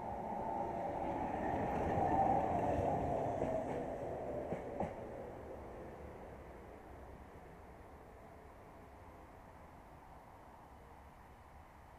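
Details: A passing train rumbles and rattles, swelling and then fading away, with no animal voice heard.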